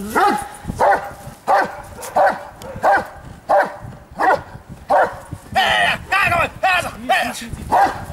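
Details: Blackmoore Dark Devil, a Giant Schnauzer, at Lübben barks steadily about every 0.7 seconds, a dozen sharp mid-pitched barks. Toward the end they turn hoarser and run closer together, with a person's voice faint underneath.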